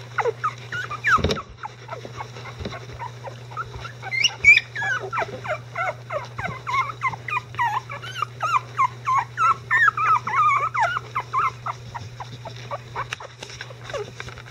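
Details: Icelandic Sheepdog pups, 11 days old, with mother Gaela nearby; a bump and rustling, then a long run of short pulsed whines repeated roughly three times a second, tapering off near the end over low hum.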